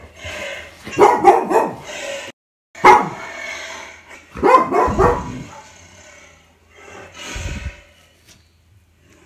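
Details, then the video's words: Retriever dog at home reacting to a played lion roar, barking in short irregular bursts, some clustered, with pauses and soft background sound. "맹수 사자를 만난 리트리버 반응 feat. 사자울음소리"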